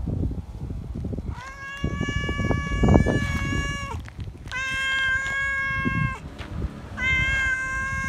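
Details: Feral cat meowing loud for attention and love: three long, steady, strongly harmonic meows in close succession, each lasting one to two seconds, with rustling and thumping noises underneath.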